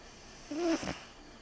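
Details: Sleeping cat giving one fairly loud snore: a short whistled, nasal breath with a breathy rush at its end, in a quiet room.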